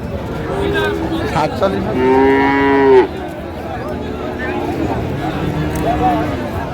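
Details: Friesian or crossbred heifer calf, about three and a half months old, at Raniganj cattle market in Dinajpur on 9 February 2025. It gives one loud, drawn-out, harmonic moo lasting about a second, over steady market chatter and voices.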